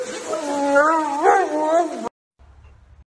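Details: Siberian Huskies talking: a drawn-out, wavering vocal note of about two seconds that swells and bends upward midway, then falls before stopping abruptly into near silence.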